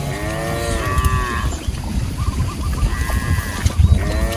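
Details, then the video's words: Cows roaming a rice field and feeding, one long arching moo followed by a brief pause and another deep harmonic moo starting near the end, over low bumping noise. "Cow videos funny sounds | Sapi Lucu Lagi Makan DiLadang | Suara Sapi Lembu Lucu"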